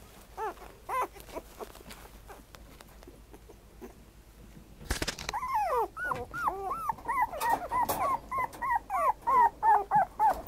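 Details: Black-and-tan dog whimpering: a few thin whines at first, then after a thump a rapid run of arched, rising-falling yelping whimpers, about three per second, growing louder toward the end.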